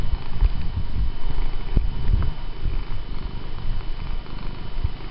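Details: Pet cat purring as it asks to keep being petted, indoors. Continuous low rumbling purr with soft fluttering pulses, nothing else clearly heard.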